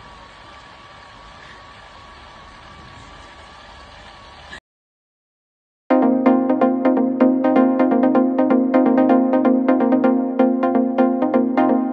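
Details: No animal voice is heard; a low hiss gives way to a brief silence, then bright, rhythmic electronic music with regularly repeated notes.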